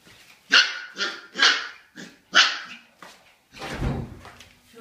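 Siberian husky puppies give a run of high, sharp yaps, about one each half second.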